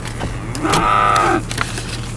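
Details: AAA Farms steers, Marianna, Florida, listed for a Moseley Cattle Auction sale in August 2013. After faint knocks and rustling, a single steady moo, rich and nasal, holds about half a second before fading into low hum.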